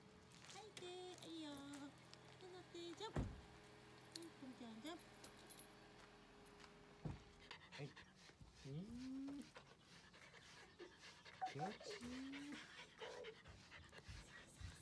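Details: Female Mame Shiba dog, born 2015, indoors during her shedding season while being brushed; short, soft, rising whines come twice near the end, with a woman talking quietly, brush rustling and faint panting.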